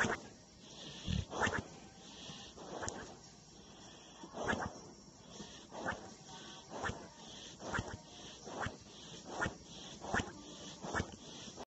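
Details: Sleeping Boxer snores steadily through a floppy lip, giving short rough snorts and breaths roughly once a second in a regular series, with a faint constant hiss in the room behind.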